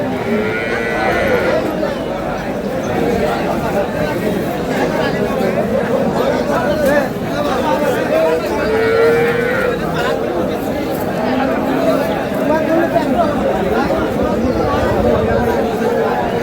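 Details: Cows with calves at Aftabganj cattle market in Dinajpur, Bangladesh, on April 11, 2026; drawn-out lowing moos rise twice above steady crowd chatter and bargaining voices at the busy market.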